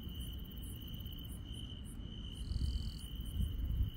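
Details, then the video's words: Night insects in the countryside: an unbroken ringing trill with quick high chirps, and a second brief buzzy trill joining midway for about half a second, over a low rumble that grows louder toward the end. "시골 밤의 정겨운 풀벌레 소리"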